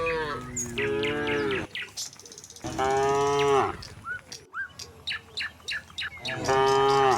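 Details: Tame cattle in a herd walking from the next village to their pen. Three long, deep, harmonic moos at the start, middle and end, with bird chirps in the gaps between them.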